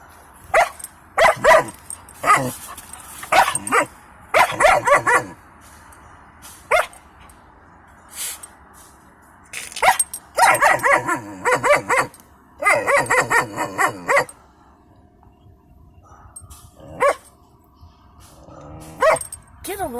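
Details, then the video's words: German Shepherd puppy in a truck at a scrapyard queue, barking at people standing by the fence: dense runs of rapid barks in clusters, pauses, then scattered single barks and a brief whine near the end. "LOKi the Puppy Barking and Talking in the Truck Today"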